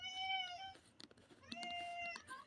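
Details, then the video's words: Domestic cats responding to the rattle of cat food shaken in a bottle: two clear, tonal meows, each steady then slightly falling, separated by a short pause with soft clicks and shuffling. "cats know the sound of cat food in the bottle when I shook it!"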